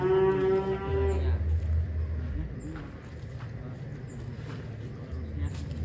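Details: Ken Arok Bimasakti, a huge fattened bull from Indonesia headed for a DKI contest, lets out one steady, tonal moo lasting about a second, followed by low rumbling noise and quiet background sounds.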